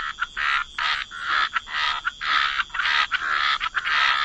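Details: Dense frog chorus by the water, loud overlapping raspy croaks about twice a second with brief gaps between bursts.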